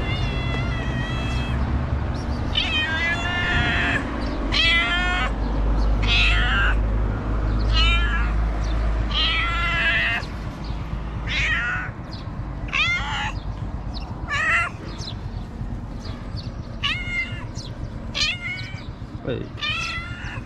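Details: Stray cats in a Moroccan street, one waiting for people to throw out the trash so it can find food, giving a steady run of loud, harmonic meows, many rising then falling, some overlapping, over traffic rumble and faint bird chirps.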